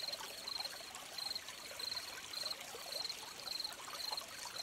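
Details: Gentle crickets beside a trickling stream: short high-pitched chirps in clean pulsed bursts, one roughly every half to three-quarters of a second, riding over a steady rushing wash of flowing water.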